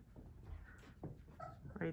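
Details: Whippet pups aged three weeks, from a Minx x Oscar litter, let out brief high, steady whimpers, two short tonal cries about half a second apart, over low rustling, with a human voice close by.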